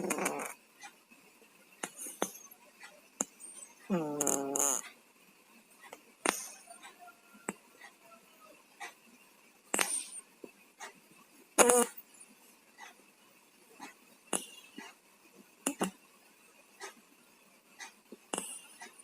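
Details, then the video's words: Two cats with colds snoring in their sleep indoors, a wheezy, nasal snore with stacked tones near four seconds, separated by scattered short sniffs and clicks around the room. "KUCING PILEK, TIDURNYA NGOROK"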